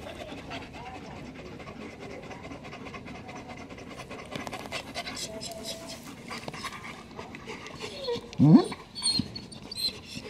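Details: Black German Shepherds resting in over 40-degree heat pant in quick breathy bursts, with a short whine-like sound near the end and a person speaking quietly.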